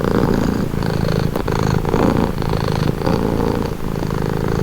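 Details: Close, continuous purring from a pet cat: a deep, buzzy rumble swelling and easing with each breath roughly every second, plus a faint click just before the midpoint.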